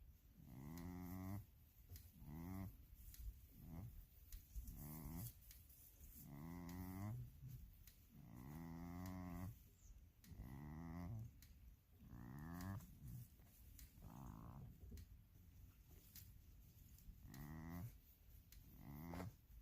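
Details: A goat snoring: a groaning, voiced rasp with a rich layered tone, each lasting about half a second, repeated about every one and a half to two seconds, over a faint steady hiss.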